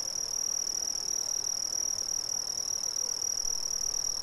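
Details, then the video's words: Brazilian crickets trilling nonstop, one high, thin, even-pitched buzz of fast pulses with a weaker higher tone, unchanging in volume, set against faint diffuse background noise. "Brazilian Crickets"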